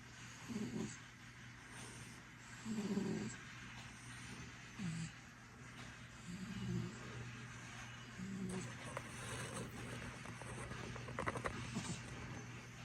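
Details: Sleeping pet cat snoring softly, low breathy snores recurring about every two seconds, with a steady low hum beneath.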